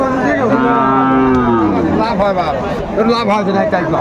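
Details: Sahiwal cattle at a crowded Bangladeshi market in Kurigram, 27 July 2024: a strong, resonant moo opens the recording and holds a level pitch for about two seconds, then fades into background voices and softer lowing.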